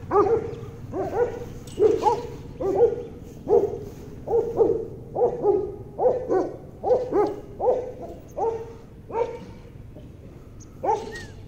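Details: Doberman puppies of a European champion bloodline: steady repeated yappy barks, a little over one per second, continuing for about ten seconds.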